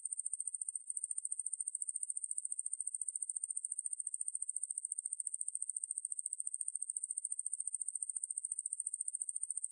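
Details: Conehead katydid (Ruspolia lineosa), song.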